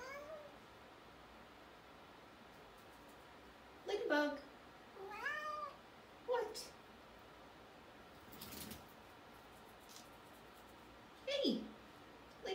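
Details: Domestic cat meowing indoors in a small room: several separate arched meows spaced a few seconds apart with quiet gaps between them, and a brief human voice partway through.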